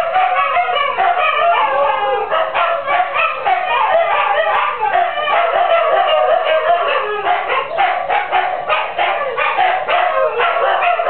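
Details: Several female Siberian huskies howl and yip together, singing along with a neighbour's chickens: dense, overlapping wavering howls broken by quick pulsed yips and bark-like notes, sustained without pause throughout.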